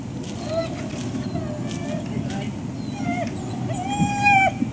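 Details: Service dogs at ServiceDogProject in Ipswich, Massachusetts, USA, waiting for breakfast on October 14, 2017; scattered high, wavering whines with rising and falling pitch sit over a steady low machine-like rumble, with faint human voices.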